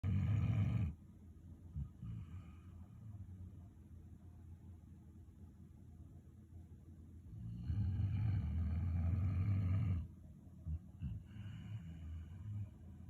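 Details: Sleeping Flat-Coated Retriever snoring deeply like an old man, with long rumbling low snores near the start and again mid-clip, separated by quieter breathing and a few short snorts.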